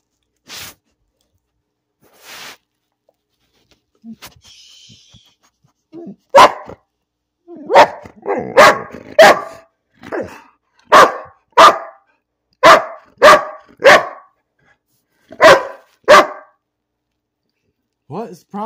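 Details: Pet dog named Bean barking for no apparent reason indoors: after a few quiet sounds, a run of sharp broadband barks, mostly in pairs, about one to two per second, with brief whines.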